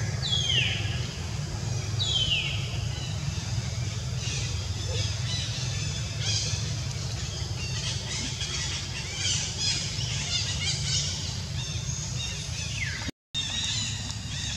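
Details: Monkey named Jazzy crying after being bitten all over its body by ants: two sharp, high squeals sliding steeply downward near the start and another near the end, fainter broken chatter between, over a constant low rumble.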